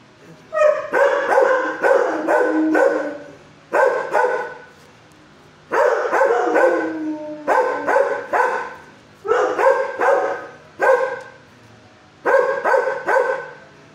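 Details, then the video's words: Sheltered dog aged six, barking in its kennel at an approaching caretaker: repeated groups of three to five rapid, full-toned barks, one faint long whine mid-clip, pauses of about a second between groups. "at 1st he barks but calm neighbor showed way"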